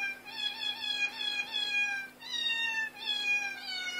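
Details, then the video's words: Cats in chorus, recorded on a phone: drawn-out, harmonic meowing wails that slide slowly downward, in three long cries separated by brief gaps, on a quiet background with a faint steady hum. "Cat chorus 2"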